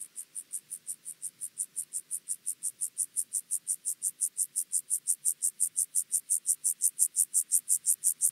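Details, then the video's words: Chorthippus vagans grasshopper at Mörnsheim, Germany, on 14 July 2023; a steady train of very high, evenly spaced buzzy chirps, about three per second, gradually growing louder over eight seconds. "Chorthippus vagans -- Steppengrashüpfer"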